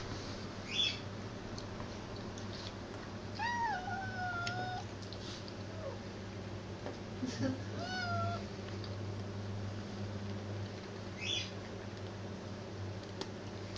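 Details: Black cat chewing a cat food tin while a Persian cat gets all the attention; drawn-out wavering meows, a pair of longer calls followed by softer short ones, over a constant low indoor hum with light clicks.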